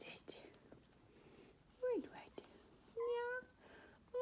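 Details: Kittens on a cat tree demanding attention indoors: a short falling meow, then a longer steady, harmonic-rich meow a second later, with whispered human speech and soft handling noises between the calls.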